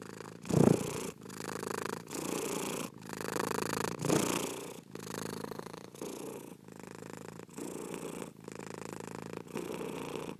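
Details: Cat purring close up: a sharp louder snort-like burst early on, then a steady buzzing rumble pulsing with each inhale and exhale.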